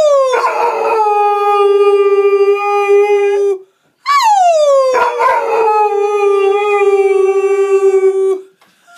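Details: A 5-month-old Rhodesian Ridgeback puppy "sings", giving two long, tonal howls that start high and slide down to a steady note.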